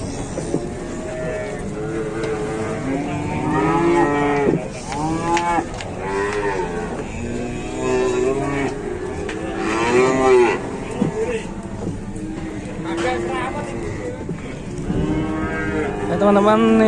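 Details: Cattle at a crowded morning livestock market in Indonesia giving a series of arching moos, several calls spread across the recording, among people talking and general market noise.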